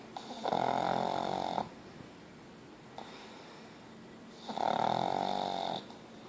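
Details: A pet pug called Ozzy in deep, very loud snoring: two long buzzing, whistly snores about four seconds apart, each over a second long, with faint breathing between.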